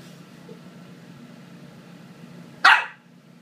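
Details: A twelve-week-old Corgi puppy playing rough with a boy indoors lets out one sharp, loud bark near the end, preceded by a steady low hum of room noise.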